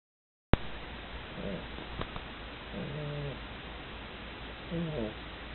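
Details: Female pug asleep and snoring, tired after playing: soft tonal, nasal snores with a low hum and higher whistling overtones, three breaths spaced about every one and a half seconds over a steady background hiss.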